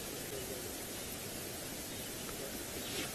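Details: Steady broadband hiss like wind or static fills the recording, with no animal voice heard.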